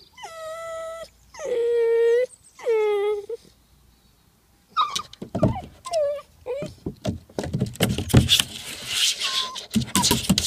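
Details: Nine-week-old Vizsla puppy trying again and again to climb a slide, giving drawn-out harmonic whines near the start, then short yelps and whimpers mixed with scuffling and clattering noises.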